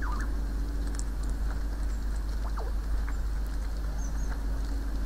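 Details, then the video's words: Young squirrel "conversation" at a forest feeder near the woods, with one of two kits calling: a short falling squeak at the start and another thin downward chirp midway, under constant low-pitched background hum. "Два бельчонка и их "разговоры" часть 2\Two squirrels and their "conversations" part 2"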